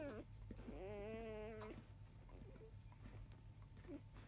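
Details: A newborn Labrador Retriever puppy of field lineage, five days old, in mid-afternoon, gives one sustained, nasal, slightly wavering whine of nearly a second after a short squeak, then faint small squeaks, above a steady low hum.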